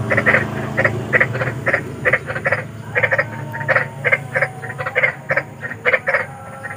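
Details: Large frogs heard at night outdoors: rapid clusters of short, rasping croaks, several per second at times, with brief pauses between groups and a low rumbling hum underneath.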